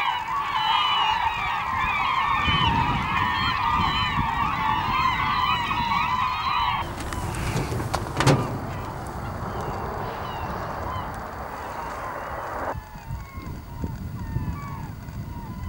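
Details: Beluga whales in the Naknek River at 8:30 am on 24 April 2015 make a dense chorus of chirps, squeals and bending whistles that overlap without pause.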